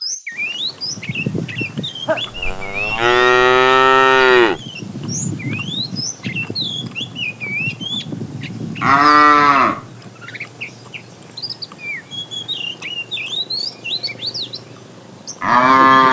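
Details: A herd of tame cows starting their morning activity, roaming and looking for food, give loud, drawn-out moos while small birds chirp in the background.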